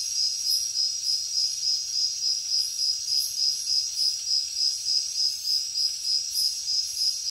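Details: Night-time jungle crickets give an even, piercing, high-pitched chirp in rapid rhythmic pulses, roughly three each second, held without a break. Softer, higher insect shimmer rises and fades behind it.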